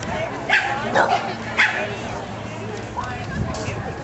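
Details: Silver miniature poodle at the Clearwater Kennel Club dog show on Friday 01/11/2008. Three sharp barks come about half a second apart, followed by fainter yips, with crowd chatter in the background.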